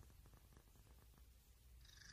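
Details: House cat giving a low, rapidly pulsing purr, with a faint whistling breath appearing at the very end.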